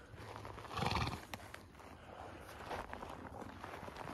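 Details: Horse on a farm on 13 May, a mare that has just foaled a filly on a hot day; one brief, low, breathy snort-like burst about a second in, then quiet breathing noises and surrounding talk.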